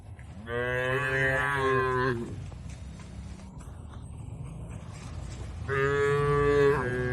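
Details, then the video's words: Tame cattle eating fresh grass in an oil palm plantation in Indonesia, giving two long, rich, harmonic moos of about one and a half seconds each, separated by a few seconds of rustling and chewing noise. "Bunyi suara sapi lembu"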